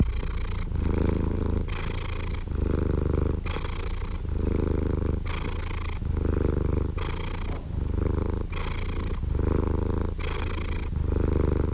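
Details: Domestic cat purring steadily: a deep, even rumble broken every couple of seconds by a brighter, breathy hiss-like phase, six cycles in a smooth, unhurried rhythm with no other sounds.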